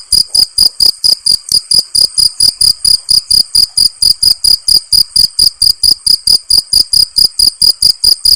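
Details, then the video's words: Nature recording of crickets: an even train of piercing high chirps, around four per second, continuing without pause and with no other noise. "Cricket sound"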